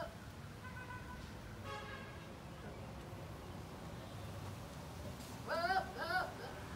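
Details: Male goats making funny calls: faint harmonic bleats early on, then two louder, quavering bleats near the end that rise and waver in pitch, over a steady low background hum.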